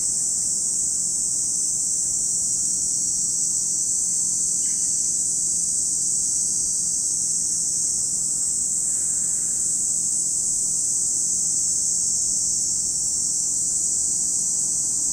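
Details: Chorus of cicadas by Lake Kamo, Sado City, Niigata Prefecture, Japan, an even shrill hiss-like buzz holding constant for the whole stretch, with a couple of faint short bird notes in the middle.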